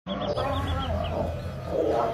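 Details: Lions fighting each other: a continuous, low, rumbling growl with strong deep harmonics and a rougher, louder swell toward the end; faint, rapid, high-pitched chirps repeat in the background.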